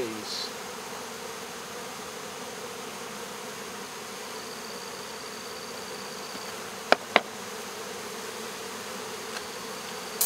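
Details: Swarm of honey bees being removed from local baseball fields on 12 August 2014: a steady, dense droning hum with a low tonal band, a few sharp knocks near seven seconds and a faint high whine.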